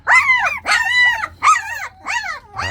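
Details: Jindo puppies from Baekhyang's litter, described as very active, give loud whining yelps: five arched, harmonic cries in under three seconds, each rising then falling in pitch, with short gaps between them.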